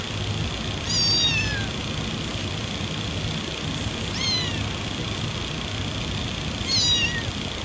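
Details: Cat mewing used to draw cats near: three short, high-pitched falling mews spaced a few seconds apart over continuous background hiss and low hum.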